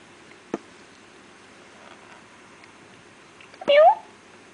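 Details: Feral kitten, one of a litter born and raised by a feral cat in an industry area, gives a single short rising mew near the end, after an isolated click, in a quiet indoor room.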